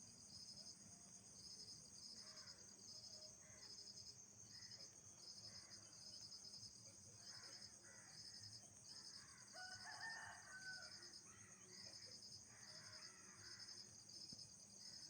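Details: Nocturnal insects at night: a steady high shrill hum with rapid pulsed trills repeating in bursts about every half second, plus faint scattered calls in the background.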